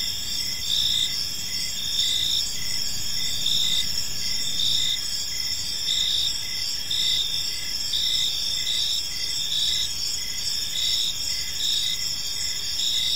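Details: Several crickets chirping in a park during the evening, their high trilled bursts overlapping in a steady, insistent chorus with a constant shrill undertone and gentle low background noise.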